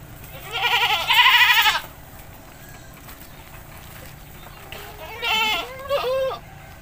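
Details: Goat bathed in a village lets out one long, loud, trembling bleat, then after a pause two shorter quavering bleats close together. Faint background noise throughout.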